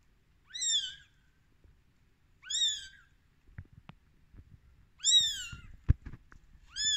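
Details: Rescued kitten, 13 days old, giving high, thin meows that arch up and fall, about half a second each, roughly every two seconds, four calls in all, with soft clicks and small knocks between them.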